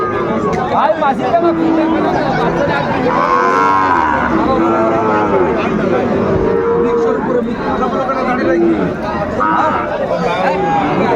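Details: Sahiwal bull calves at the Raniganj cattle market in Dinajpur, 20 February, as trading opens; several drawn-out, harmonic moos rise and fall under a constant din of crowd chatter and a trader shouting prices.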